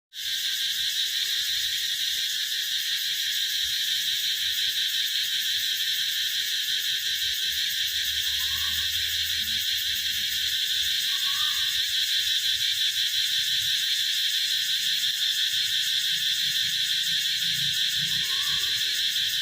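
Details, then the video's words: Cicadas singing in summer: a loud, continuous, steady high buzzing drone that holds unbroken at an even level for the whole recording, with faint low background rumble beneath. "เสียงร้องจักจั่น เสียงประจำหน้าร้อน ♥ The Sound of Summer"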